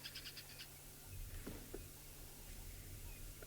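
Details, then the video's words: At a termite mound with dwarf mongooses on an African safari, near two squirrels, another squirrel alarm-calls: a quick series of sharp, high chirps over a low background hum. "Oh, now I hear another squirrel alarm calling."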